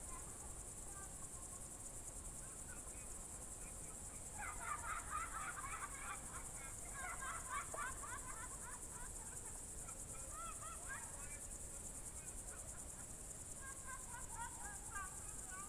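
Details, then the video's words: An evening cricket trill in June 2023 at the Novye Buregi tract, Novgorod Oblast, Russia: a constant high buzz throughout, while a lively burst of lower chirping bird calls fills the middle and returns near the end. "Звуки природы , сверчки"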